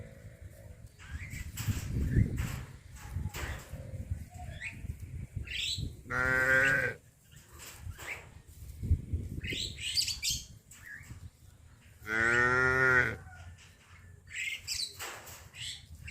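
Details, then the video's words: Village livestock cattle heading out to green grass pasture in the morning; two long, harmonic moos about six seconds apart, with shuffling, knocks and other rustling farm noises between them. "Suara sapi lembu lucu berlarian menuju ladang gembala rumput hijau"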